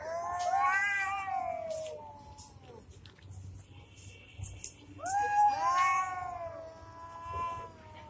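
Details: Cats fighting: two drawn-out wavering yowls, each rising then sagging over about two seconds, separated by a quiet gap with low background rumble and faint clatter.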